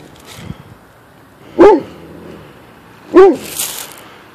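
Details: A Bernese Mountain Dog at the ocean, barking at what turns out to be a rock, gives two loud, deep barks about a second and a half apart.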